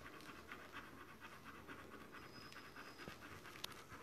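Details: Panting of a Dobermann in labour with its D litter: fast, even, rasping breaths repeat several times a second at low volume, with a faint high tone and one brief click near the end.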